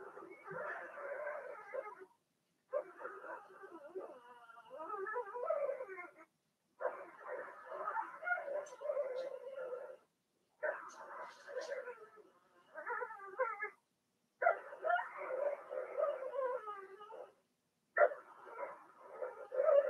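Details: Cavalier King Charles Spaniel puppies, Blenheim coloured, from a litter of two girls and four boys in an indoor pen during potty training; repeated bursts of tangled whimpers and squeals, each a few seconds long, broken by short pauses.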